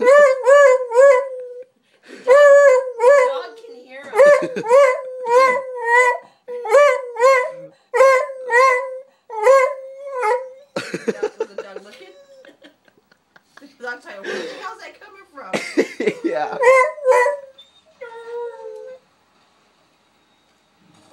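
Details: Buddy the dog barks frantically after spotting another dog. Tonal, yappy barks repeat roughly twice a second in long runs, then break into rougher, noisier yelps and a final drawn-out whine.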